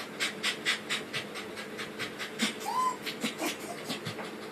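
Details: Corgi puppies panting quickly and steadily, about two breathy huffs a second, rhythmic and airy throughout, with one brief thin squeak near the middle and a faint constant hum underneath.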